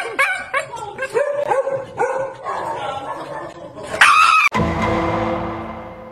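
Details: A Shiba Inu at the vet gives a run of high, wavering yelps and whines, followed by a loud burst and music.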